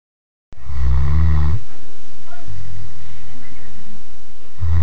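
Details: A 3-year-old Great Dane snores in deep, rumbling breaths with a rough low rattle.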